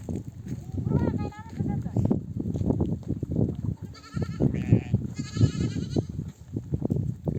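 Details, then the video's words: Mother sheep of a nomadic flock, back from desert pasture among oak trees, bleat to call their lambs to nurse: a few wavering, quavering bleats rise over steady low rumble of hooves and movement, with some human voices. "The sound of mother sheep returning from the pasture to breastfeed her babies"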